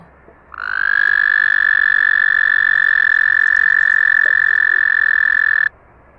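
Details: A toad calling in a forest gives a long, steady, happy, chirpy musical trill that holds one pitch for about five seconds, its throat inflating like a balloon.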